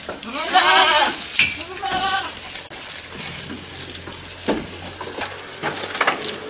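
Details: Goat recorded up close while eating: two short, harmonic bleats in the first two seconds, then soft, irregular crunching and chewing noises.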